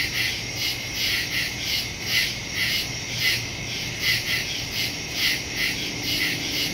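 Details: A chorus of crickets chirping at night in the woods, September 2, 2023, captured on a Samsung Galaxy S22 Ultra phone with a Shure MV88+ microphone; bright pulsed chirps swell and fade in loose, uneven waves.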